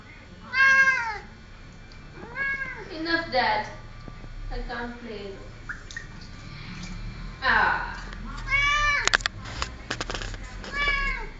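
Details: Pet cat indoors, troubling a little fish, gives a series of short, arched, mewing meows, about seven spread over the span, with people talking in Telugu between them.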